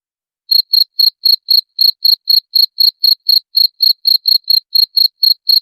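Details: Cricket sound meant to drive away rats; after a short silence, sharp shrill chirps begin and repeat about four times a second in a steady run, clean with no background noise.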